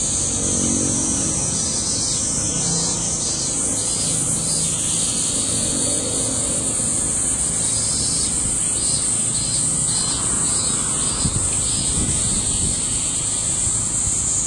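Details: Summer cicada chorus from August 2008: steady high buzzing drone with faint pulsed calls woven through, and a stronger low rumble with occasional thuds in the background.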